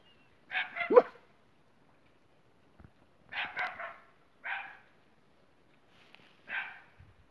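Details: Jessie, a Boxer dog, with her friend Spike: four short, harsh bark bursts, the first a quick double, spaced one to two seconds apart against a quiet background.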